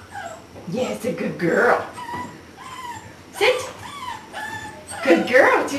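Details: A six-week-old English Springer Spaniel puppy during obedience training, filmed 11 December 2010, gives short high rising and falling whimpers and yips in a small room. A person speaks throughout.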